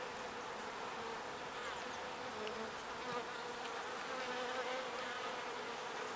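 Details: Bees gathering pollen and returning it to their hive make a continuous, even humming drone of many wings, with soft flickering ticks layered on top.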